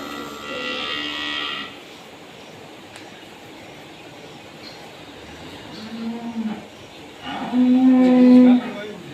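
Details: Cow delivered around Eid al-Adha gives a long, full moo, followed later by a flat, steady low tone, all under constant background noise with occasional voices.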